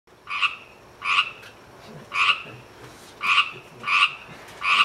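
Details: A Pacific tree frog (Pacific chorus frog, Pseudacris regilla) gives a steady series of bright, two-part ribbits, roughly one each second.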